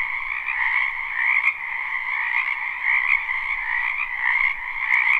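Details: Live spring recording of frogs in a wetland: an unbroken, high, trilling croak chorus, gently pulsing in loudness, with a couple of short sharp ticks.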